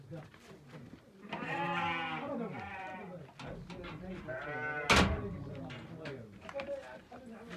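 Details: Bleating from a sheep family where a ewe bore four lambs, two rams and two ewes, on 23 October 2023. Two drawn-out, quavering bleats overlap steady male speech, and there is a sharp knock between them.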